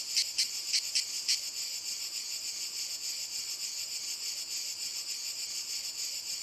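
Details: Cicadas singing in walnut trees: a dense, continuous high-pitched buzzing chorus, with a few louder rhythmic pulses standing out over the first second and a half.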